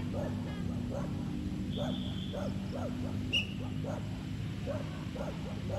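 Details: Apache and Kiowa, two chocolate Labrador Retrievers out on a sunny day, give short arched yips about twice a second over a steady low engine-like rumble, with a brief high whistle-like tone.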